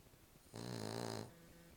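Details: A sleeping female Cavalier King Charles Spaniel gives a single loud, buzzy, low snore lasting under a second, rich in overtones, against a quiet indoor background.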